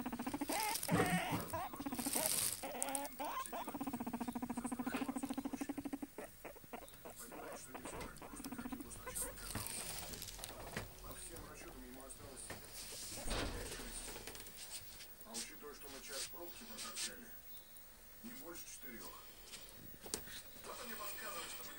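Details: Pet guinea pig indoors: bursts of squeaky, harmonic calls mixed with rapid pattering and scratching, a low steady tone from about three to six seconds, and scattered clicks and rustles throughout.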